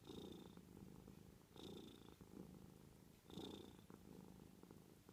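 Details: Domestic cat purring softly at close range: a low, grainy rumble swelling in three breath-timed bursts about every 1.7 seconds, each carrying a faint high whistle, with a quiet steady hum between them.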